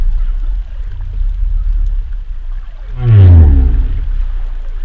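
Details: Humpback whale sound: a loud, deep moan that slides steeply downward and carries rich harmonics, rising out of a low, rumbling underwater background about three seconds in.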